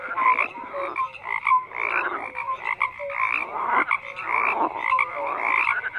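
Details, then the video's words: Chorus of croaking frogs in bursts roughly every second, rattling pulses overlapping brief clear tonal notes from several callers. "FROGS CROAKING"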